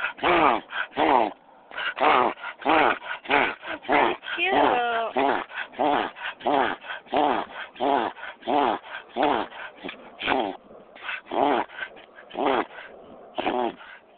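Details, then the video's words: Excited pet dog giving a rapid string of short, harsh grunting yips, roughly ninety a minute, uneven in spacing, with one brief squeaky whine midway through. "Annoying Dog Making Weird Noise"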